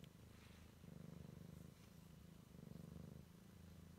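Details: Purring Siamese kitten on its first explorations, a deep continuous rumble swelling and easing in slow cycles of roughly two per three seconds, background otherwise quiet.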